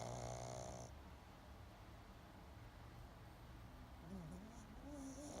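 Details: Snoring pug asleep: a raspy, fluttering snore opens, then quieter low breathing with a small wavering whistle before the next inhaled snore begins.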